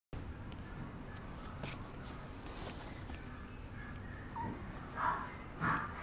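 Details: Papillon puppy giving short, high whining yelps, one faint near four and a half seconds, then two louder, bent whimpers around five and under six seconds, over a steady low room hum.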